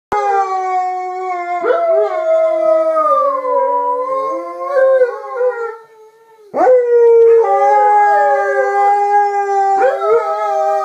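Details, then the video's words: Two Alaskan Malamutes, Jazzy and Ben, howling together: long sustained tonal howls with layered harmonics that slide and waver, a brief pause near six seconds, then a sharp rising onset into renewed overlapping howls. "Jazzy and Ben howling"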